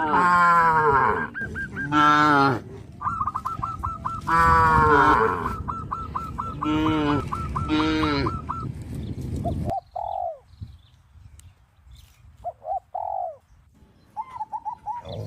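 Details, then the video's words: Tame cows crowding around fields, running and jumping for joy, give long, deep, harmonic moos in several drawn-out bursts, while a run of nasal goose-like honks repeats rapidly between them; quieter honks follow after a sudden drop in level. "sound of cows"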